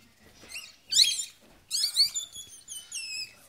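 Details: Newborn Yorkshire Terrier puppies during a birth at a Michigan breeder, indoors: high, thin squeaks and squeals with wavering harmonics, in short bursts roughly once a second, the loudest near the middle and a longer whining cry at the end.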